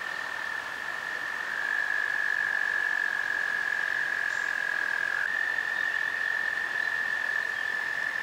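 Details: American toads trill in a spring chorus in April–May along the Potomac River near Great Falls, Virginia: long, steady, high musical trills overlapping without a break, one voice shifting slightly higher midway, over faint background hiss.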